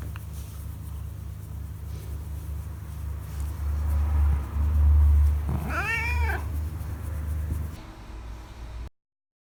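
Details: Kisuke, a pet cat basking in the sun and raising its rear with pleasure while being stroked, gives a single arched, rising-then-falling meow with rich harmonics over a steady low rumble.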